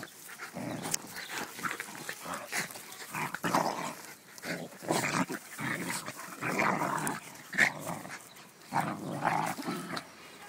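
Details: Playful wrestling between a schnauzer and a beagle produces a steady run of rasping growls and snarls in short bursts, with brief gaps, and a snap or yelp near the middle.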